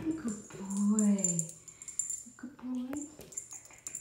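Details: Fawn male Boxer puppy indoors, giving a drawn-out whining whimper that slides and wavers, followed by shorter yelps, with a person's voice nearby.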